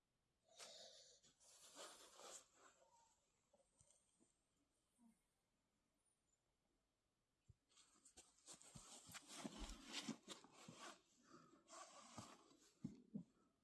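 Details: Shadow, a pit bull or bulldog puppy, snoring loudly while trying to sleep: harsh, breathy, wheezing rasps in bursts, with a long quiet pause in the middle before a denser stretch of rapid snorts.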